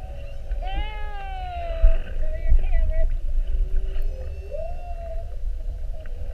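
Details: Whales recorded underwater on 21 February 2019 during a 7:30 whale watch, staying an hour around a boat in a mugging with repeated spy hops: mid-pitched wavering moans with rich harmonics, sliding up and down, over low boat rumble.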